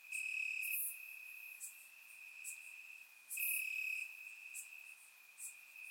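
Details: Crickets in the grass at night during summer in Bulgaria, surround microphone recording: a sustained piercing trill, loudest at the start and again mid-way, with a few faint high insect ticks behind.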